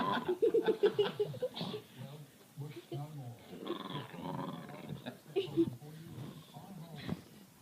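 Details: Pet dog making odd, weird noises indoors: a quick run of short high whimpering yelps early on, then moaning, groaning vocal sounds with harmonic bands, mixed with human laughter and voices in a small room.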